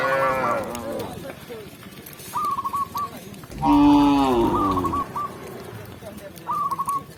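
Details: A tame cow being led into its pen by a village shepherd lets out a short moo, then a louder, longer bellow midway, while quick runs of short high chirps recur in the background.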